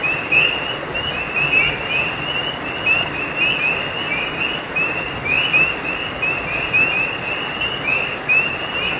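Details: Creekside frogs at night produce an unbroken run of quick, high, rising chirps, many voices overlapping, while the creek's rushing water forms a steady background.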